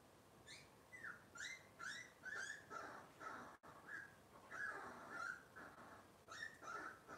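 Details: Whining Cavalier King Charles Spaniel puppies of Robin's litter, heard on a kitchen-camera livestream, make repeated short high yelps that rise and fall, in bursts of several, with a brief drop-out midway.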